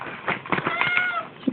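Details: Siamese cat Mr Beanz howling and wailing at midnight to demand food, indoors. A single drawn-out tonal meow holds a steady pitch in the middle of the clip, surrounded by soft scratchy clicks and rustles, then ends with a brief knock.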